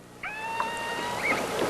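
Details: Keiko, a captive killer whale newly released into North Atlantic waters, gives a drawn-out, harmonic-rich underwater call that wavers and lifts near its end; he vocalizes far more than before, possibly toward a nearby pilot whale-like animal.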